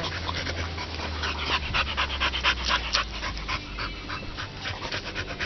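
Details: American Staffordshire Terrier called Chicca, panting during play with a piece of wood while being coaxed to fetch it; fast, breathy rhythmic puffs about two per second under a steady low hum.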